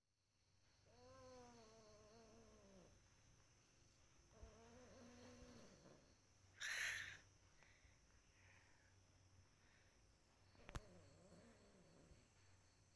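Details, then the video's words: Kampung cat meowing: two long drawn-out meows with steady harmonic bands, each about two seconds, then a softer short meow near the end; a brief loud clatter and a sharp click in between, with a low room hum throughout. "Kucing lagi meong meong"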